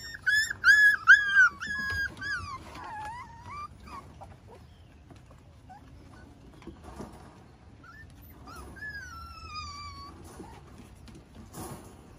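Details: Miniature Schnauzers with their 5-week-old pups on a deck, Sunday morning in May: a quick run of high wavering whimpers at the start, then quiet, then a long falling whine near the end.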